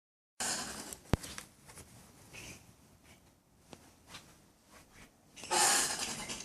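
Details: Common brushtail possums, a couple in a tree by a front patio in Brisbane, making weird noises: a short harsh rasping burst, a sharp click, faint scratchy sounds, then a longer loud hissing screech near the end.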